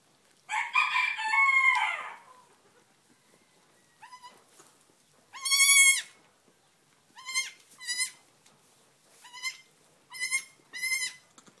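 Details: Newborn Nigerian Dwarf goat kids less than five minutes old: a rough, noisy cry at the start, then high, thin, wavering bleats repeated every second or two, each with rich stacked harmonics.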